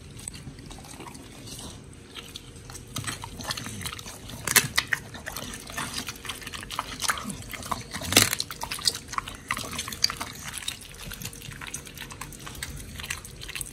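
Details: Raw giant white snapper and meat being eaten by pit bulls Oli and Nommy, filmed October 21, 2023: moist, sticky chewing with scattered crunches and two strong bite snaps, against a low constant hum.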